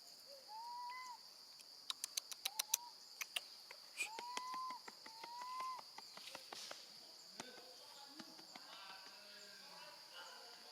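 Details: A baby female monkey, left alone with her gentle grandmother, screams loudly in short, rising, whistle-like cries, calling for her mother.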